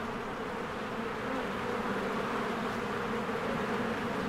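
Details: Honeybees swarming around their cozy hive in spring; an unbroken low, droning buzz of many wings, steady in loudness, with no other clear sounds.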